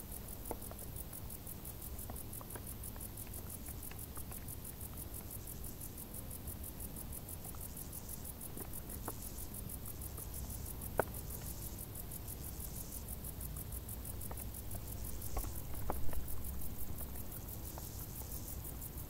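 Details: Crickets chirp in tall grass on a hot summer night, a steady high-pitched pulsing over a soft rumbling background hiss: cricket.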